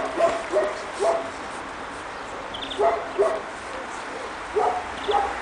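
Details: Pekingese puppies about two and a half months old, out in the snow for the first time in Tallinn, Estonia, give short high yips in small clusters of two or three, with quiet pauses between.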